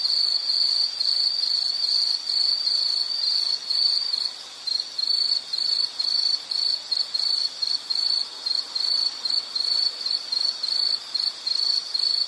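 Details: An insect's high-pitched trill, continuous at first and then breaking into rapid, evenly spaced chirps over the second half, with a soft hiss behind.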